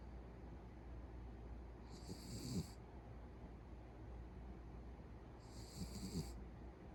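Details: Beagle snoring in its sleep at home, loud enough to pass for a grown man; two breathy, rattling snores spaced under four seconds apart, quiet low hum behind.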